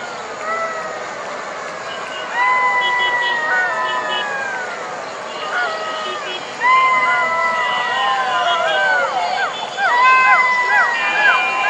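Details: Golden jackals calling at night: several wavering, siren-like howls that rise, hold and slide down, overlapping in harmonics, growing into a louder group chorus in bursts, over a steady hiss.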